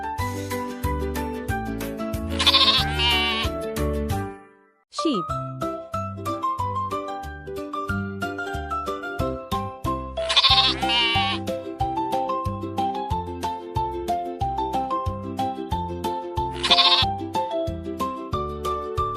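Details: Sheep in a farm animals lesson for toddlers: three wavering, nasal bleats spaced several seconds apart, each under a second long, heard over continuous gentle children's music with plucked melody and bass.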